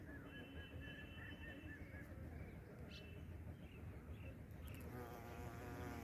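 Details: A bumblebee in northern India hums with a deep, continuous buzz that holds steady throughout; thin, high bird chirps and short whistled notes come and go in the background.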